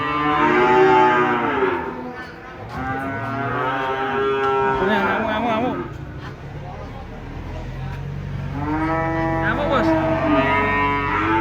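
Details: Giant cattle unloaded from a truck. Three long, loud, harmonic moos, each lasting two to three seconds, separated by brief pauses, with faint background noise.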